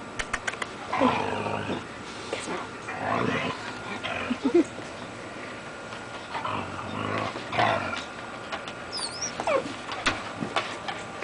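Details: Two dogs playing, Nikki a Siberian husky and Fed a beagle: rough, throaty growling bursts come in short runs near the start, middle and later, with a person's voice talking to the dogs in between.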